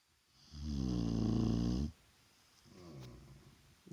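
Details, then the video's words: Daytime nap of Vaya, a Shar Pei, indoors: one loud, deep, buzzy snore lasting over a second, then a fainter rasping inhale. "Шарпей Вая храпит!"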